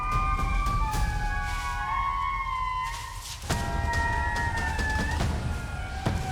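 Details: Indri lemurs give long, wailing, siren-like alarm calls on spotting a predatory fossa, then scatter.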